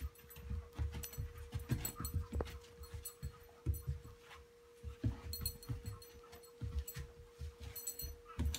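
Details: Bijou, a four-month-old female Great Dane puppy, chasing her own tail indoors; quick, rhythmic low puffs of panting and soft thumps run steadily through, over a constant faint electrical hum.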